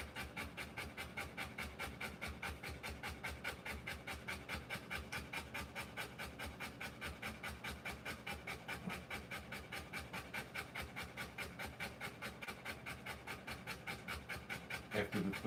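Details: A birthing Rottweiler pants hard and rhythmically while delivering puppies: regular airy breaths of roughly two and a half per second hold steady throughout, ending with a faint rustle.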